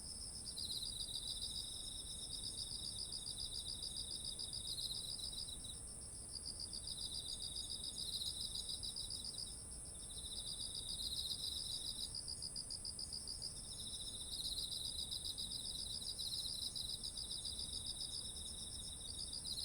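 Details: An autumn night-field chorus of insects next to ripe rice, recorded on a ZOOM H1essential: long trilled phrases rise and break off every few seconds, interleaved with a lower buzzing trill, over a sustained high ringing drone.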